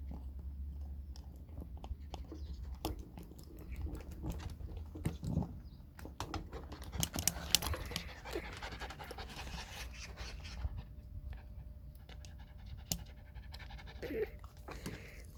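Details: A puppy pants rapidly while playing, a continuous quick huffing rhythm broken by sharp clicks and scuffles. Faint rustling and handling noises run through the whole stretch.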